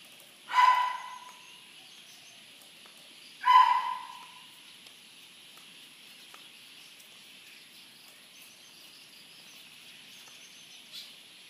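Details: Corgi giving two sharp, loud barks about three seconds apart, each a short burst with a strong tonal core, followed by quiet with only a faint steady background hum and a soft click near the end.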